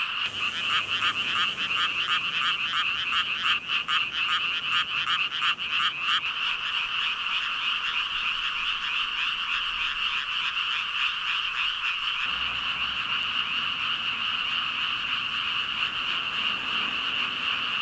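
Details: Thousands of frogs, around 5,000, calling together: a rapid pulsing, rattling croak stands out over the first six seconds, then the mass of voices merges into an unbroken, shimmering drone that carries on steadily to the end.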